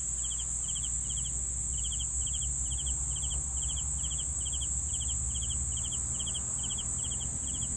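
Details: Crickets giving evenly spaced pulsed chirps at a brisk rate, about three per second, over a continuous high trill and a noticeable low rumbling background.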